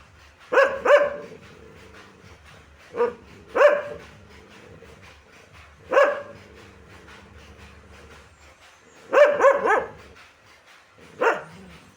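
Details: Dog barking: short sharp barks, some in quick pairs, come roughly every two to three seconds over a faint low hum.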